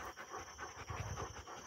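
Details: Rottweiler panting while two of the dogs descend a tower, quick breathy huffs at about five per second, even and continuous, with a faint steady high hiss in the background.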